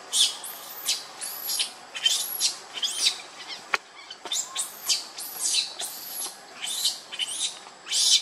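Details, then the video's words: Baby monkey Lucie, hungry and crying for milk, foaming at the mouth: shrill, arching squeals, each rising and falling, repeated about once a second in an unbroken string, with a single sharp click midway. "Lucie Very Pitiful Need Milk Crying"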